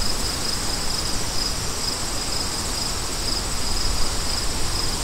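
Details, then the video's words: Crickets paired with wind in a sleep soundscape: a steady, high, finely pulsed trill runs throughout beneath a constant, broad rushing of wind that gently swells and settles. "Crickets & Wind For DEEP SLEEP"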